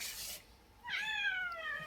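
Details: Domestic cat giving a single falling meow, starting high and sliding down over about one second, after a brief noisy rustle at the start.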